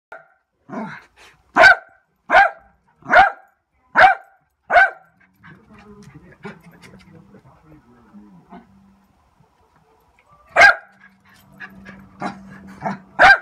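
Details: Lakeland Terrier barking in a series of six sharp barks about once every 0.8 seconds, a pause with soft whining and snuffling, then more barks resuming near the end.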